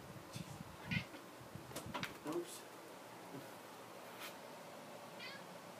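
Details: Domestic cat, upset and worried because things in the home have changed, gives a short meow near the start and another soft, wavering meow near the end, with human speech and household noise in between.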